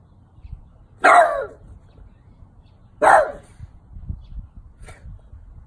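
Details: Elderly French Bulldog, twelve years old, barking at a St. Francis statue: two sharp, loud barks about two seconds apart, then a few faint softer sounds over low background rumble.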